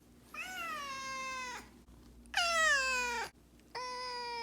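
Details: Pet cat Miho, about two, sounding off in anger at an owner who stays out late: three long, sustained meows, the middle one loudest and sliding down steeply at the end, like a siren.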